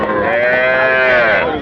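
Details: A single sustained moo from cattle at Raniganj haat, where bulls, heifers and calves are traded; a loud, even, nasal bellow about a second and a half long that dips slightly then rises toward its end.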